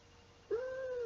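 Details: Seven-year-old pet female cat named Baby Girl, held indoors while her owner sings Twinkle Twinkle Little Star to her; after a quiet start, she gives one long, clear, steady tonal meow lasting about half a second.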